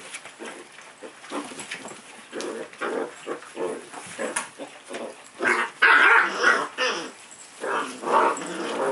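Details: Puppy at play, producing short rough growling bursts with harmonic bands, irregular and closely spaced, some louder yelping peaks around the middle, in a fairly quiet indoor setting.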